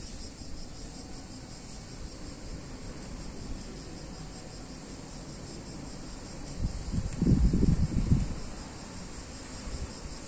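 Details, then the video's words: Summer cicada chorus in a picturesque Italian town on a hot day: an unbroken high droning buzz with a fine pulsing texture. A low rumbling swell rises for a few seconds toward the end. "Cicadas In Warm Summer Day In Italian Town"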